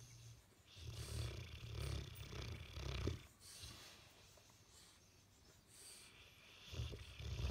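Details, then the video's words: Sleeping Bullmastiff with a twitching face, snoring on and on: deep, rough low rumbles in drawn-out bursts around one to three seconds, separated by quieter breathing, with a further snore building at the end. "Bullmastiff face twitching and snoring"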